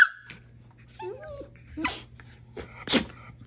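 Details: During play with a dachshund, a female Siberian Husky gives a brief high squeal and a short wavering whine, mixed with breathy bursts and snuffling noises.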